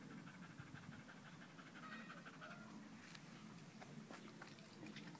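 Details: Loud panting from Danco, a dog pressed against someone's leg, 5 August 2013: rapid rasping breaths in an uneven rhythm, with a few sharp clicks and small knocks toward the end.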